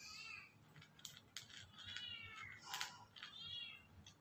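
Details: White cat meowing while eating: a wavering meow at the start, more short harmonic mews through the middle and end, with sharp clicks from the food or bowl.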